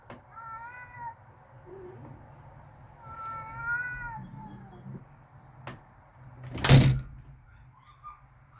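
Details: Cats in a backyard, outdoors and ready to fight, give drawn-out wavering yowls, two long harmonic cries near the start and middle with a softer low moan between, plus a few sharp thuds and a loud burst near the end.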